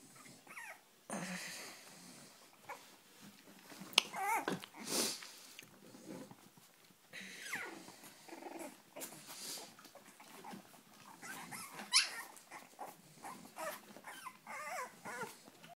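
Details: Cavalier King Charles Spaniel puppies from the litter of Sarlat and Chloé, born 7 April 2014 in Spain, wanting to get out: high, wavering whines and short yelps in bursts, with scrabbling and clicking noises indoors.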